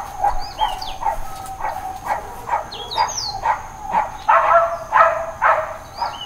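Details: Dog barking without letup in Hawaiian Paradise Park, Hawaii, September 2, 2024, the Labor Day holiday. A fast run of repeated barks, roughly two per second, growing louder and harsher near the end, with bird whistles overhead.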